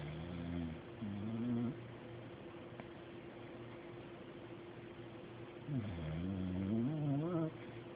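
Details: Deebo, a pet dog, snoring while asleep in a chair indoors; low, droning, wavering snores come in bursts of one to two seconds, separated by a long quiet gap, over a steady faint hum.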